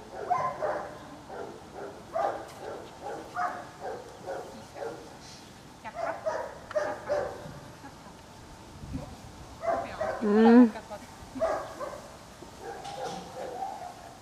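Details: Dogs at the Loomade Hoiupaik animal shelter barking in a steady series of short, harsh, mid-pitched woofs about twice a second, pausing midway, then a louder burst with a brief high yelp before the barking resumes.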